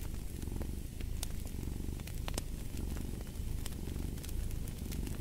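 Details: Low, vibrating cat purr with gentle breathing rises and falls, mixed with frequent crisp pops and crackling from a fire.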